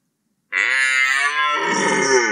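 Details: One sustained red deer bellow during the rut, about two seconds long, beginning as a clear, tonal groan and turning harsher and raspier toward the end.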